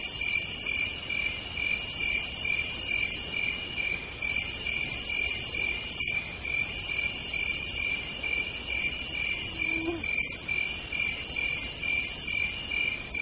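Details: Southern night chorus of cicadas: unbroken high-pitched trills layered under a piercing buzz that switches on and off in phrases of about two seconds, with a few brief clicks.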